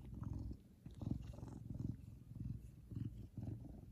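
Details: A big male Savannah cat, happy, purrs loudly, a deep rumbling throb that swells and fades with each breath.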